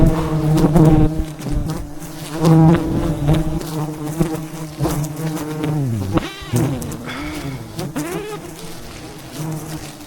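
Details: Thousands of wild bees swarm around a giant wild beehive high in the mountains as a honey hunter harvests it. A dense, low droning buzz with stacked overtones fills the air, with swooping pitch glides as single bees zip close past, strongest near the start.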